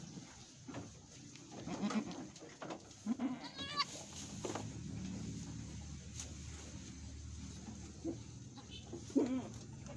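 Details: An Etawah goat on a goat farm in Bukittinggi, West Sumatra, while a goat there is giving birth, gives several brief, low, nasal, wavering bleats spaced a few seconds apart, with clicks, steady background hum and human voices.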